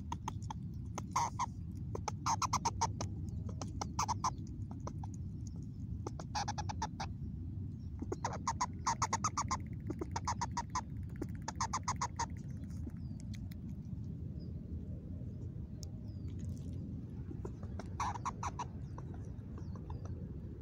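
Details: Mother squirrel in a new spot, recorded 26 August 2021, giving an unusual vocal: clusters of rapid, harsh, pulsed notes in short bursts, repeated every second or two, then quieter scattered notes, over a steady low rumble.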